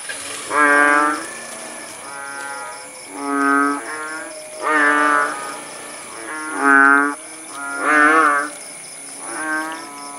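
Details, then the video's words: After rainfall in rural Langsa, Aceh (Paya Bujok Tunong), a chorus of kodok bangkong frogs: seven deep, lowing croaks, alternating louder and softer callers roughly every one to two seconds, with a steady shrill whine throughout. "Suara kodok bangkong di pedesaan"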